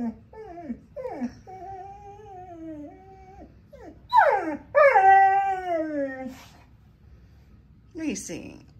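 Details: Reese, a female pet dog, does what sounds like vocal exercises for singing indoors: short rising-falling whines, then a held wavering tone and a louder sliding howl that falls away, with a brief final yelp.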